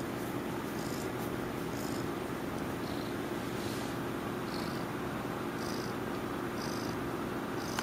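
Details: Sleeping pet cat purring continuously, a low rumbling hum held without a break, with faint brief higher ticks scattered over it.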